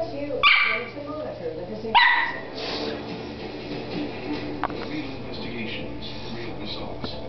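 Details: Havana Silk Dog at play, running and chasing another dog: two sharp, high yipping barks about a second and a half apart, followed by people's excited encouraging voices and faint scuffling.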